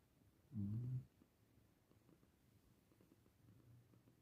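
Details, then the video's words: Sleeping domestic cat snoring: one low, rough snore lasting about half a second, followed by a quiet room with only a faint low breathing hum. "Kucing Bobo Ngorok"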